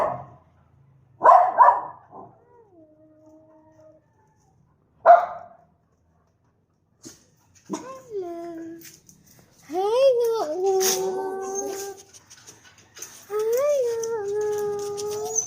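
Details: Shih Tzu and Maltese mixed-breed dog giving two short sharp barks, then a run of drawn-out tonal whines and howl-like calls that rise and fall, held for one to two seconds each.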